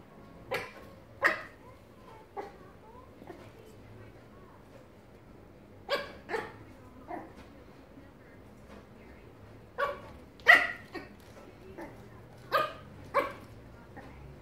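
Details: Small Yorkshire terrier playing with a rubber pig toy, giving short sharp barks in scattered bursts, often in pairs, with quieter rustling and thuds between them in a quiet room.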